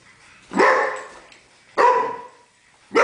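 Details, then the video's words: Pet dog frightened of a broom barks at it: two loud harsh barks about a second apart, each with a ringing tail, and a third bark starting at the end. "Funny dog afraid of brooms!!"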